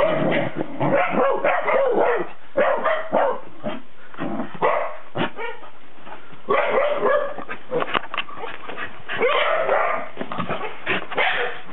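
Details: Cardigan Welsh Corgi filmed 19 December 2008, yapping about four times per second in irregular bursts, some barks with a tonal, whining edge, pausing briefly midway before resuming.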